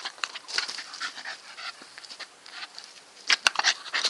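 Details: Nikita, a Staffordshire Bull Terrier, panting in quick, breathy, uneven bursts of soft hissing noise, close and clear, with a few sharper clicks and snuffles near the end.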